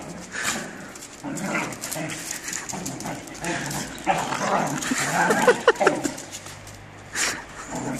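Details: Australian Shepherds in a fight, snarling and growling in rapid, irregular bursts, with a few sharp higher yelps in the middle and background human voices.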